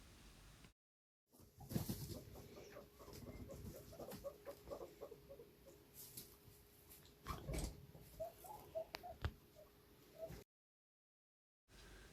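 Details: Guinea pig (Cavia porcellus), chatting squeaks: communicating with other guinea pigs and with owners.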